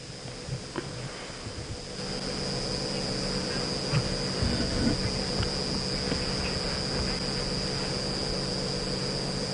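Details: Crickets, likely males calling to announce territory and attract mates, keep up a steady, high, shrill trill after sunset in a South African game reserve in June, over the low rumble of an idling vehicle engine.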